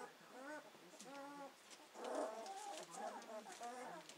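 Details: Two-week-old Hovawart puppies from Paula's litter, starting to explore with their senses; a series of short, tonal, nasal whimpers repeated roughly every half second, over a faint background hiss.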